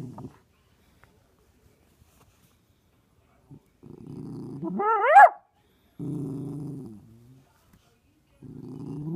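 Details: Six-month-old Miniature Poodle puppy named Brody playing peek-a-boo, giving low rumbling growls in three bursts, one rising into a short high whine in the middle, with quiet gaps between.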